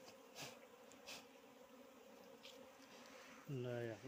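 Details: Wild bees buzzing in Nepal during honey harvesting: a steady low droning hum continues throughout, with scattered clicks and a man's voice speaking briefly near the end.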